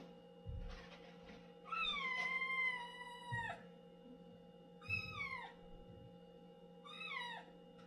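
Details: Domestic cat meowing while using the litter box in a small room; one long drawn-out wavering meow followed by two shorter falling meows, with scratching sounds between calls and a faint steady hum.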